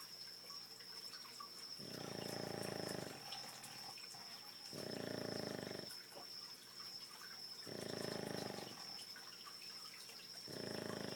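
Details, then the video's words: Several Boston Terriers snore at night near 2 am, loud enough to carry into the next room; harsh, rasping snores about a second long recur roughly every three seconds in a steady rhythm, with a constant thin high whine underneath. "Snoring Boston Terriers"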